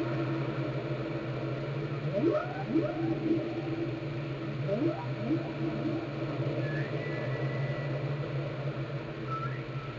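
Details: Whale song from Glacier Bay, Alaska, recorded by the National Park Service and NOAA: two bursts of stacked low upsweeping moans, then drawn-out higher whistles, all above a persistent deep drone.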